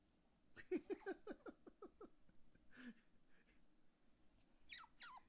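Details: Otter Fuku, calling because he wants to play with daddy and won't share his toys: a fast run of short, squeaky chirps at about three per second, then a brief rasp and two high falling squeals near the end.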